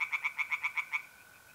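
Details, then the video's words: Tree frog singing in a pond by night, north-east Italy, mid-April: a brief run of seven or eight sharp, nasal pulses in quick succession that stops abruptly, leaving the faint steady trill of mole crickets. "relaxing singing tree frogs in pond and trilling mole crickets by night"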